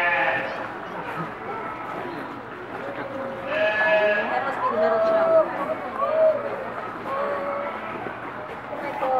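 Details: Newborn piglets from two litters born the past Monday at Reston Zoo give short, high, tonal squeals rich in overtones, several clustered in the middle of the stretch, while people talk over them throughout.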